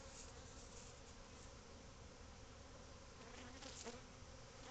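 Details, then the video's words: Many bees at a hive built in a void inside a covered house patio, growing agitated: a steady, dense, low buzzing hum without pause, with a faint brighter swell near the end. "Bee Hive In Your House"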